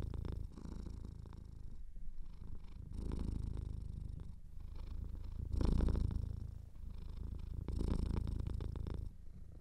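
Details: Deep, rhythmic purring from a cat whose nose is slightly clogged, pulsing softly between quieter inhales and stronger rumbling exhales about every two and a half seconds, with a faint wheezy texture.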